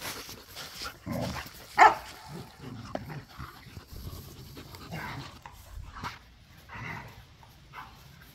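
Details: Back-yard play among pit bulls and a Malinois: a sharp single bark stands out early, then low growly grunts and short huffs spaced irregularly, with quieter gaps between bursts.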